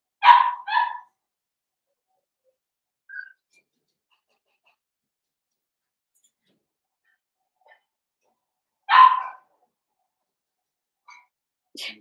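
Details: Blenheim Cavalier King Charles Spaniel puppies, a litter of five born on New Year's to Paris and Spike, in a home puppy pen: two quick sharp yips open, a lone yip follows near nine seconds, faint squeaks between, otherwise a quiet room.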